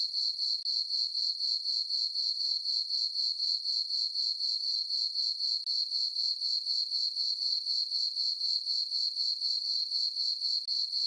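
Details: Summer night on a farm, with a full moon over the meadow: crickets keep up a constant shrill pulsing chirp at a brisk steady rate of about four beats a second. No birds, voices or wind.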